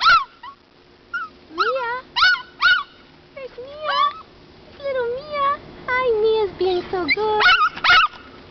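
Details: Small dog crying while riding in a stroller at the park beside another dog; high, wavering whines that slide up and down in pitch, in short bursts, with a woman speaking over them.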